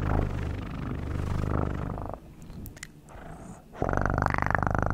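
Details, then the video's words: Cat purr for ASMR: a loud, steady low rumble for two seconds, a quieter pause with faint clicks, then the purr resumes strongly with a brighter, buzzing edge. "1 Hour Of Best PURRING sounds"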